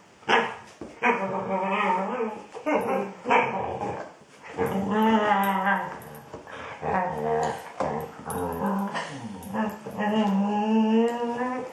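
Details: A female Border Collie 'sings' to her ball, seemingly trying to communicate, in long, wavering, whine-like howls that slide up and down in pitch.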